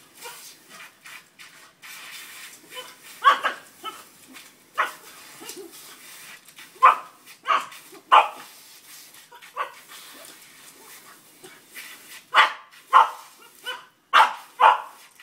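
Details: An excited male Boston Terrier that loves the hose barks in short, sharp, uneven bursts while playing wildly with a hose, over a steady hiss of spraying water.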